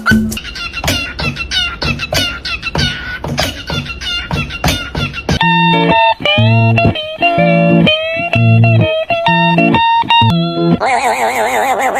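Plucked guitar music plays throughout, with no animal voice heard.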